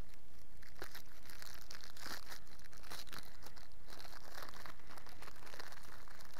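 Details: Continuous crumpling and crinkling, like paper or plastic being handled in a small room, with no animal heard.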